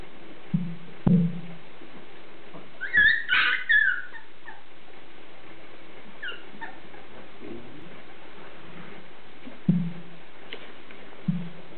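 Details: Beagle puppies playing: short, scattered whines and yips, with a brief high squeal near three seconds, broken up by thumps and quiet gaps, over a steady low hum.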